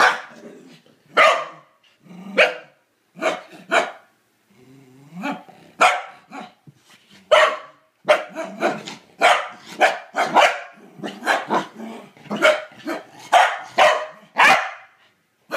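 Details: Corgi named Kevin Bacon barking at a toilet bowl brush he hates, a long run of loud, sharp barks roughly every half second to second with a few growly breaks in between, a person's voice briefly heard.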